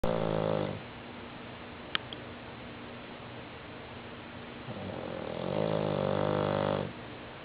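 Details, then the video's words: Heavy-set female bulldog weighing about 60 pounds snoring indoors: a loud, rasping, harmonic snore at the start, a quieter pause, then a second long, growly inhaled snore near the end. "Fat bulldog snores"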